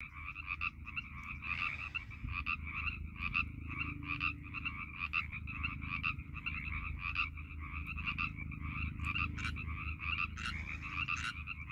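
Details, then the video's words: A dense chorus of Northern Pacific tree frogs in a pond at Iona Beach Regional Park near Vancouver airport on March 11, 2021, with many voices overlapping in rapid two-part croaks. "Chorus of Pacific Tree Frogs"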